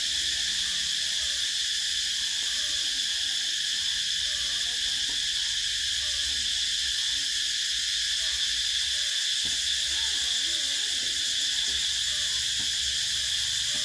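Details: Cicadas in summer, a dense continuous high buzzing drone that holds steady without pause, very loud and unbroken from start to finish, with a faint low rumble beneath.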